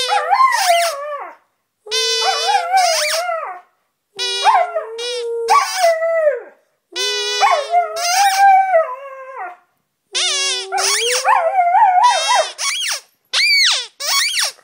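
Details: A Siberian Husky singing indoors on 17 January 2011. Long, rich howls rise and fall in pitch, separated by brief silences, with several wavering notes running about a second or two each.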